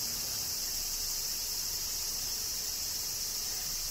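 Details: Kyoto cicadas during summer rain in Japan, producing a steady high-pitched electric buzz without breaks, with faint low background noise beneath.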